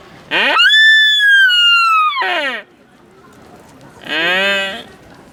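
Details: A deer in Nara Park gives a long, high, whistled cry, then a shorter, bleating call.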